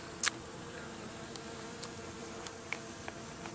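A soft, continuous hum of many Japanese honey bees drones low and steady, swelling slightly as the colony grows agitated. A few sharp clicks and taps break through the buzzing.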